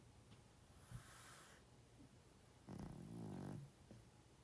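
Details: A 12.5-year-old male pug asleep and snoring loud: one drawn-out, wavering, rumbling snore lasting about a second, after softer breaths, with a steady low background hum.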